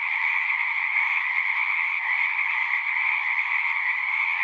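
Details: Frogs singing in a dense, continuous chorus of natural sounds, a steady shimmering wall of overlapping trills with no breaks and no other sounds.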